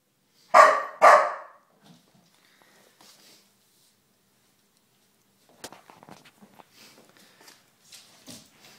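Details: Four-month-old Golden Retriever puppy indoors at home, reacting to a stuffed bear in the living room: two loud harsh barks near the start, then quiet shuffling and faint household sounds.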